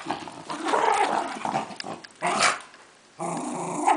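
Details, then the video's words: Welsh Terrier Reilly, a female dog, attacking a toy lion in play; harsh, noisy growling in two or three bursts with a sharp snarling peak midway, plus toy-rustling sounds indoors. "Welsh Terrier Dog Reilly Attacks Lion"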